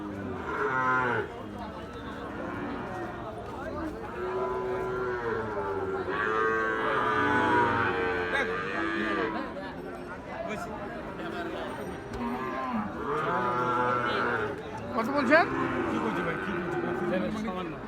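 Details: Lowing cattle at Ambari haat, a busy market for Gir and Sahiwal bull calves. Long, sustained moos swell and fade at irregular intervals over a constant bed of market chatter and background music.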